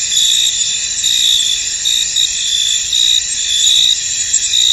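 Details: Several crickets calling in a fog-covered field, a shrill unbroken insect drone with short brighter bursts of trilling every second or so layered on top.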